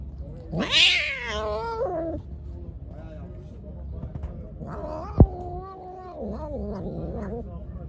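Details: Hungry, angry pregnant stray cat, being given food, lets out a loud, wavering drawn-out meow that rises and falls, then goes quiet before a low growling moan near the end; a sharp knock and background voices are heard.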